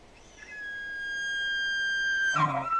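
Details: Elk giving a long, high whistled note that climbs briefly, then holds steady and clear for nearly two seconds before ending in a rough, harsh burst of grunting.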